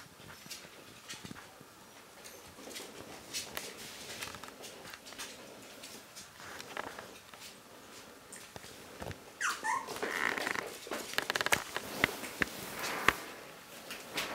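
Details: One-month-old Toy Fox Terrier puppies of a D-litter from Marti and Rio. Brief high whimpers and squeaks cluster in the second half, over steady scratching, patter and sharp clicking sounds.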